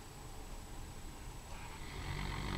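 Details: A sleeping Komondor dog snoring: a low, rough, breathy rumble with no clear pattern that grows steadily louder toward the end.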